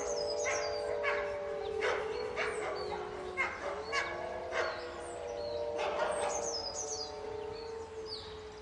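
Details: Pack of caged wolves howling during a fight, many drawn-out voices layered in a steady mid-pitched chorus, some howls bending downward, with sharp chirps from birds scattered over the top.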